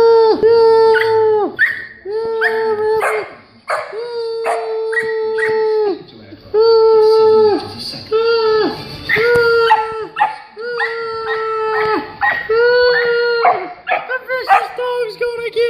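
A vizsla gives a run of steady, tuneful howling cries, each held about a second.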